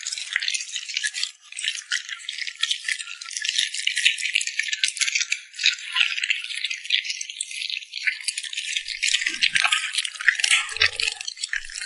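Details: Cute puppy smacking its lips while eating, recorded up close in ASMR style: dense, bright, crackling wet smacks and crunches run almost without pause, thinning briefly near the end, with a faint low thump.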